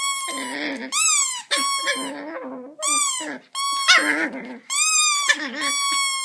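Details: Pet Chihuahua howling at a squeaky toy, August 2014: wavering, rising-then-falling howls mixed with sharp bright squeaks from the toy, repeated roughly once a second, with a low rough undertone.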